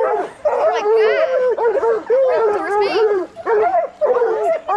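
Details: Several coonhounds, bluetick and black and tan, in raccoon-hunting training, bay in loud arched yelps and quavering squeals overlapping one another in quick succession.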